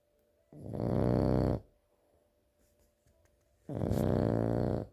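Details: Sleeping French bulldog snoring in a quiet indoor room: two loud, harsh, rumbling snores, each about a second long, separated by roughly two seconds of near silence with faint breathing.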